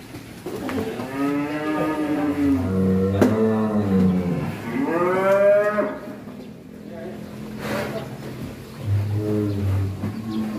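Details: Raging bull weighing about one ton, rarely let out of its pen and meant for the Qurban sacrifice, lets out two long, drawn, rising-then-falling moos, then a lower, shorter bellow, with a man's voice faintly between them.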